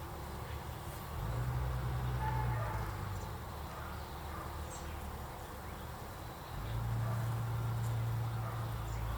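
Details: Honey bees in a 25-day-old hive during an inspection of lightly filled deep frames, one bee carrying pollen on its legs; a low steady droning hum that swells twice, with faint rustling noise.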